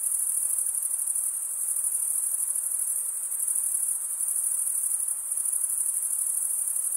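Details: Male crickets chirping by stridulation of their wings form an unbroken high, hissing trill, even and sustained across the whole stretch, with faint pulsing in intensity and nothing else audible.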